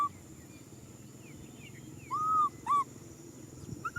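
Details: Baby macaque named Nui Simon crying out for a hug: three clear arched, tonal whimpers, each rising then falling, the first two long and close together, with a faint low background rumble.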